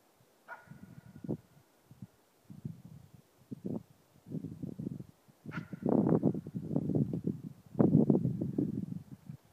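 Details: Nova, a four-month-old East Siberian Laika, gives her first baying bark at a moose while hunting: rough, throaty barks in uneven bursts, some opening with a sharp higher yelp, rising in strength toward the end with short pauses between.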